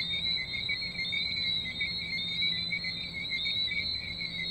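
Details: St Maarten tree frogs in full chorus: unbroken high whistling with a soft throb roughly every second, two even pitch layers plus a faint thin tone overhead.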